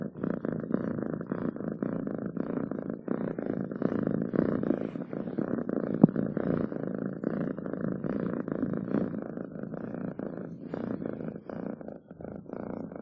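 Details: Close purring from a domestic cat, a deep vibrating hum repeating in steady inhale-exhale pulses for the whole stretch, quiet indoor background.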